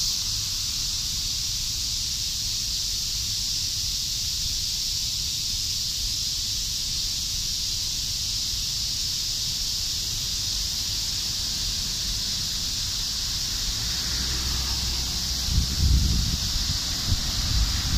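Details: Cicadas in Japan buzzing in a steady, unbroken high drone that holds level throughout, with a faint low rumble and brief soft knocks near the end.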